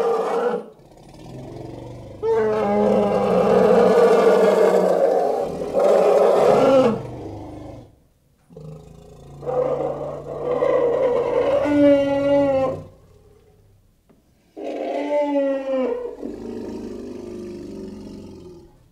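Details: Elephant roaring in a series of long, harsh, harmonic blasts separated by brief pauses. Some calls waver and bend in pitch, and a low rumbling undertone runs beneath them.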